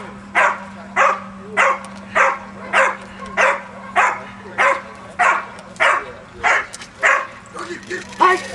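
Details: Donovan, a Pinscher, barks in a steady run of about thirteen sharp, evenly spaced barks, roughly one every 0.6 seconds, over a constant low hum.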